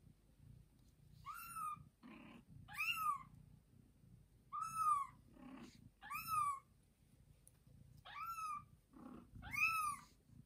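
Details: House cat Joanna, mother of two kittens, meowing loudly after carrying a kitten halfway to her owners: strong rising-then-falling meows about every one and a half seconds, each trailed by a brief rough low grunt, in a quiet room.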